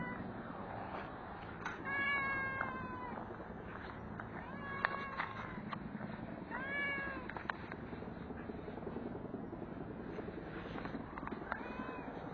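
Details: Fed stray cat during a belly massage after eating, meowing repeatedly: four or five short, slightly rising-then-falling meows spread over twelve seconds, with light handling clicks and steady outdoor noise beneath.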